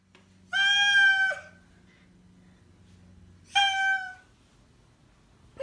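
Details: Oriental Shorthair cat that honks instead of meowing, indoors: two loud nasal honks near 0.5 and 3.5 seconds, each with a flat, harmonic-rich tone; a faint low hum underneath and a soft click at the end.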